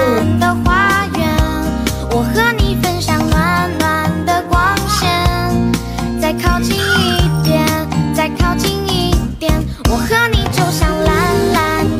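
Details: Bright, busy children's music with jingling tones and layered melody throughout, with no animal voice heard.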